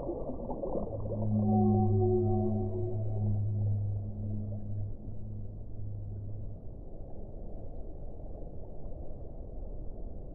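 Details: Whale song: a long, low, droning moan with rich harmonics, held for about five seconds before fading out, over a steady muffled underwater rumble.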